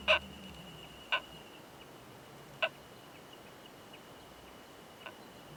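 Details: Oomadarakokunusuto beetle pair mating, found in a pine forest high in the mountains; the male strikes three sharp ringing clicks about a second apart, then a long pause and one faint tick, over a faint constant whine.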